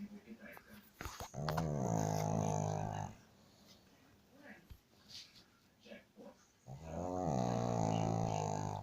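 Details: Deep, droning dog snore with a strong rattling rasp, two long breaths about two seconds each, separated by a quiet pause with light indoor clicks.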